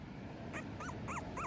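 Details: Young female Miniature Schnauzer puppy, liver pepper phantom coat, giving four short high whimpers in quick succession, each a thin arched whine that rises and falls, over a steady low background hum.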